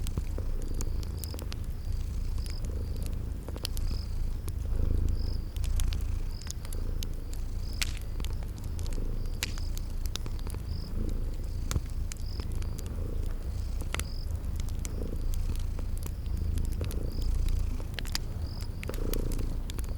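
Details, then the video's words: Cute sleeping kitties purring by a crackling fireplace, spring garden ambience. A low, even rumble fills the background while scattered crackle pops and a faint repeated high chirp recur throughout. "Relax with Cute Sleeping Purring Kitties"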